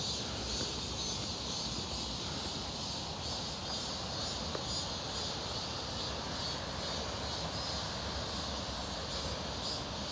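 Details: Cicadas heard during a walk near Seonbawi on 1 August 2023, a clear, hot midsummer day, their numbers noticeably up; a steady, high-pitched hissing drone with a pulsing shimmer runs throughout, over a low rumble of wind or distant traffic.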